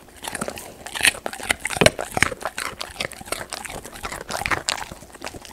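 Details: Raw sweet potato being crunched by a golden retriever close to the microphone; rapid crisp bites, roughly three a second, loudest near the middle, with softer chewing between.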